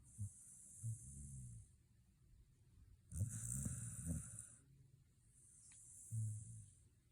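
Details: Tired out from the dog run, a Shiba Inu snores in its sleep. Little snorts lead into a long, raspy, rumbling snore in the middle and another breathy snore near the end.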